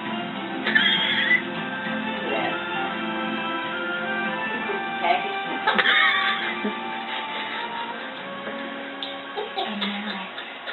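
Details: Upbeat music plays under brief voices, with a short laugh.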